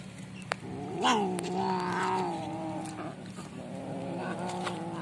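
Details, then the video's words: Hungry stray cat fighting over food it snatched from a pet cat, giving a long wavering yowl that swells, holds and slowly sinks over a few seconds above a steady low hum. "Wild Cat Fighting For Food"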